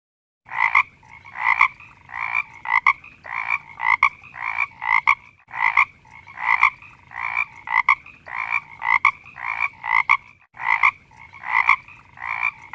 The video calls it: เสียงกบ